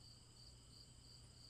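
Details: Repetitive cricket chirping, a constant high-pitched ringing trill swelling into short bright pulses about three times a second, with a soft low electrical-like hum beneath.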